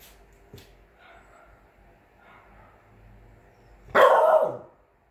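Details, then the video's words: Frow Frow, also called Bear, a three-month-old Chow Chow x French Bulldog puppy born 12/08/21, playing guard dog: one short, rough bark near the end after quiet background rustling and a faint knock. "FROW FROW (BEAR) chow chow x french bulldog born 12/08/21 playing guard dog at 3 month old.."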